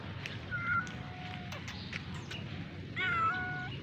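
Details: A rescued, adopted kitten gives two drawn-out meows: a thin, wavering, high-pitched cry around the half-second mark, then a stronger, clearer one near the end. A steady low hum and brief clicks run underneath.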